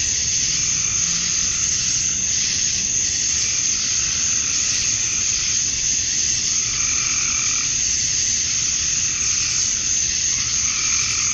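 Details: Cicadas at dusk on a summer night in Georgia, USA, with males chirping to draw females, make a constant high, sizzling wall of sound. Quieter mid-pitched hums drift in and out, strongest near the end.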